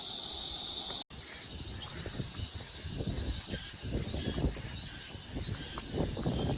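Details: Cicadas droning through an August 2, 2021 early afternoon at Mujinjeong: a steady, high, hissing buzz that never lets up, with a brief dropout near the first second and soft low rustling underneath.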